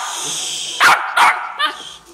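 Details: Young female West Highland White Terrier, excited about going for a walk, lets out two hard snorting sneezes and a softer third, after a steady background tone and a person saying "hey".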